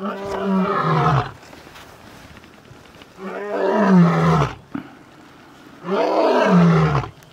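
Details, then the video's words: Male lion giving three long, loud roars, each lasting over a second with a deep, harmonic tone that slides downward in pitch, separated by short quiet pauses. "Male lion ROARS!!"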